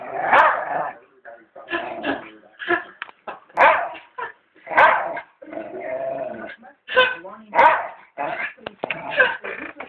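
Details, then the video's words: Pet dog barking at its owners when it thinks they are about to leave, recorded on a Blackberry phone: a rapid run of loud, harsh, repeated barks, close and indoors. "barks at us"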